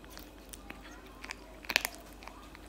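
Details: Loud eating of cat food by a cat, close and indoors; scattered crisp crunches build to a dense burst of biting near the middle, then sparse chewing clicks.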